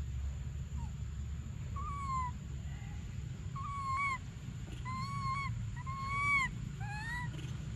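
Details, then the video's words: Infant monkey Briar cries for milk in a run of plaintive, flat-topped whistled wails that grow closer together toward the end, set against deep rumbling noise and a steady faint high hum. "Desperate Baby Briar Cries For Milk"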